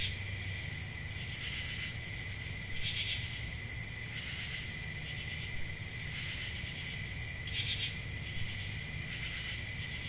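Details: A summer night in the countryside filled with crickets: an unbroken piercing trill with an accompanying lower tone, and bursts of louder chirping popping out irregularly, strongest around three and seven and a half seconds. A faint rumble sits underneath.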